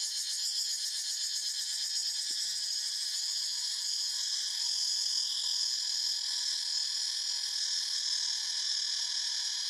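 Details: Forest cicadas producing a steady, piercing high buzz that holds evenly throughout, layered in several shrill bands, with a faint wavering pulse early on and nothing else audible.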